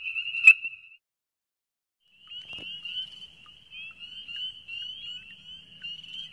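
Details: A chorus of male Ornate Chorus Frogs (Pseudacris ornata) gives an advertisement call to females, each a single metallic tink note repeated over and over, at a breeding wetland in the Georgia Coastal Plain in winter.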